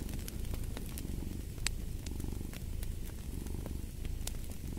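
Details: Close, deep purring of a cat, a continuous low vibrating rumble with gentle breath-paced surges, accompanied by bright crackles and occasional louder pops from a burning fireplace.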